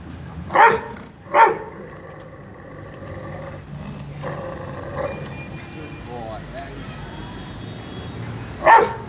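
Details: In Mumbai, a Rottweiler in "speak" training gives deep, sharp single barks on command, with a man's praising voice ("good boy") between them.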